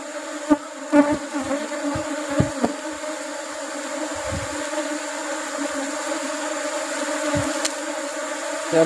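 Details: Asian honey bees (Apis cerana) at a hive during honey harvest as rubber trees bloom. A steady, droning hum with layered overtones carries throughout, broken by sharp knocks and clatter from hive handling.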